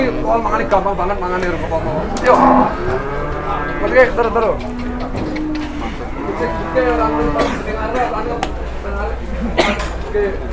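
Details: Two newly arrived jumbo cattle out of their pen for the first time, one named Metal hard to handle, waiting in line for the scale; deep harmonic moos rise and fall repeatedly beneath men's constant chatter and engine noise.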